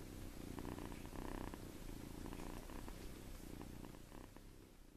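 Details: Seven-week-old farm kitten asleep in a hand, producing a soft low rumbling purr-like snore in uneven pulses, fading slightly toward the end, over steady background hiss.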